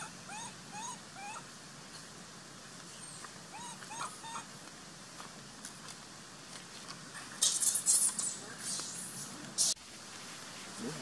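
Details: Baby monkey Sovana, abandoned and crying in her troop while Papa Lin hides: short rising whimpering cries repeated in quick clusters, then a stretch of loud shrill screaming bursts, with a sharp knock near the end.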